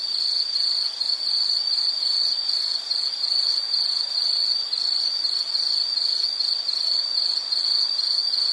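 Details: Shrill insect song ringing on one high pitch, made of fast buzzing pulses that sound almost unbroken, with a quieter hiss of the night air underneath.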